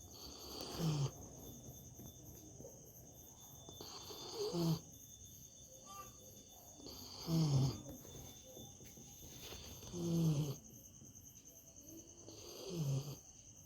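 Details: A dog sleeping comfortably snores in low, rasping bursts that come roughly every two and a half to three seconds, each swelling then fading, over a steady high chirring of crickets.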